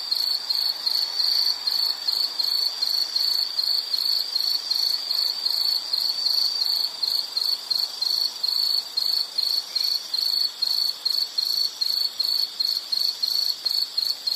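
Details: Continuous shrill insect trilling, high and bright, made of closely packed pulses. Toward the end it breaks into a regular stutter of short bursts, with little else in the background.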